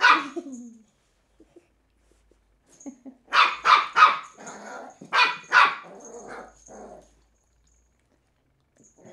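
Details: Willow, a female Cairn Terrier puppy aged three months, playing with an empty bottle, gives a short yap, then bursts of shrill quick barks in twos and threes mixed with low rough grumbling, ending in quiet.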